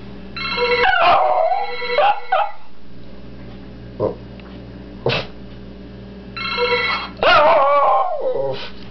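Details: Pet dog howling along to a ringing phone tone: wavering, whiny howls rise and fall over the repeated electronic ringtone bursts, with short yelps and quiet gaps between rings.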